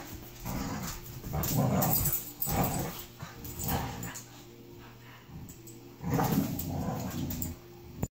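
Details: Around 2015 in Auburn, California, a dog wrestles playfully with a French mastiff from next door. Deep throaty grumbles come in three main bursts with quieter rumbling and shuffling between them.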